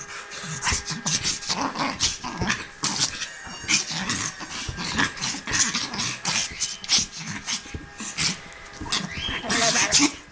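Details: Griffon Bruxellois at play, giving continuous small growls, snorts and whimpering grunts in rapid, irregular bursts, mixed with loud rustling and scuffling noises throughout.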